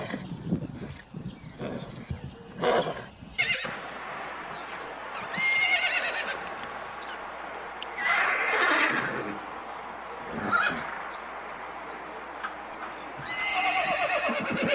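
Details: A herd of horses, described as galloping, whinnies in loud, quavering bursts that rise sharply and then shake downward.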